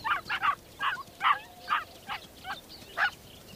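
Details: Ethiopian wolf pups at the den, an endangered mountain predator in rat-rich alpine tundra, eagerly greeting adults returning from the hunt and mobbing them for food: about eight short, high squeaky yelps in uneven bursts.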